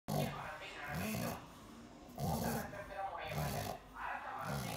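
A sleeping pug snores in rough, rattling snorts, about one a second.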